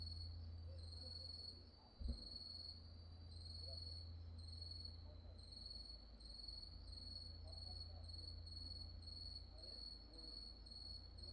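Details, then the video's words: Grass insects calling after dark at Wonhyosa temple on Mudeungsan, recorded in October 2024: steady high-pitched trilling in two even bands, pulsing in short regular bursts throughout, over a low continuous hum and a brief faint thump. "어두워진 산사에서 풀벌레소리"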